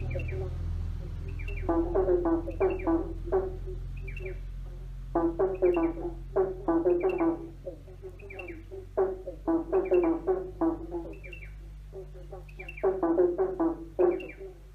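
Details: Several frogs croaking under a bridge, with echo: clusters of rapid, pulsed, throaty croaks in bursts every few seconds, overlapping callers, over a steady low rumble.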